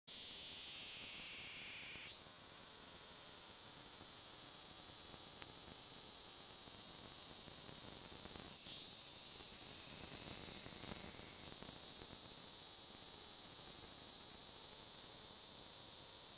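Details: A Kaempfer cicada (Platypleura kaempferi) sings a continuous, high, hissing buzz that barely changes pitch; this cicada of bright mixed woodland begins singing earlier than other cicadas.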